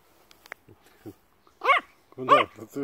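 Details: Begging Yorkshire Terrier gives two sharp yappy barks in quick succession, mixed with soft clicks and a person's voice speaking Russian.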